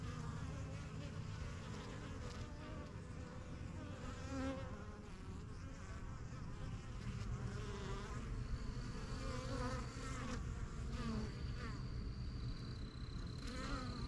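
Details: Honey bees flying in and out of a new yellow backyard hive, the strongest of a first few hives: a dense, steady low hum with wavering overtones, plus faint high tonal notes near the end.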